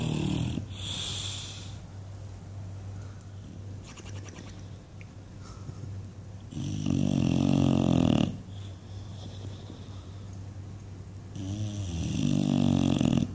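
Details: Sleeping English Bulldog Buddy, dreaming, lets out long harsh snores with flapping rattles, three loud bursts separated by softer breaths, while a person urges him to wake up.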